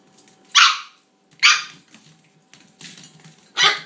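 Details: Toy Australian Shepherd puppy, a young female, yapping at her bone: three bright, high barks about a second apart, with faint scuffling and low noise in between.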